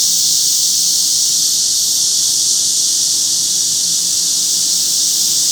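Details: Summer insect chorus at Forsythia Park in Sinsa, Seoul: cicadas with wart-biters, about 10:50 am, 26 July 2025. A constant, steamy, high buzz with a slightly grainy texture runs without any break.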